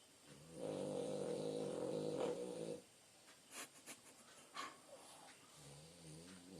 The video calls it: французский бульдог Бонита храпит French bulldog sleep